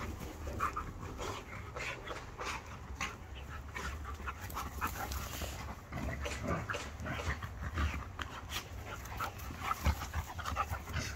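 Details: Panting from pet dogs, Irish Setter Archie, two, and Hercules, a five-year-old Border Collie, Kelpie and Blue Heeler cross, during a staredown: rapid breathy bursts repeating about twice a second over a low background rumble.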